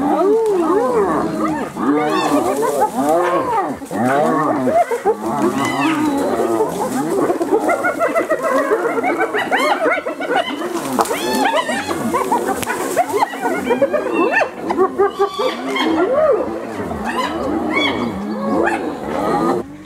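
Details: Several hyenas brutally attacking another hyena: a dense, continuous chorus of overlapping arched squeals, yelps and giggling whoops, rising and falling, with no pause across the whole stretch.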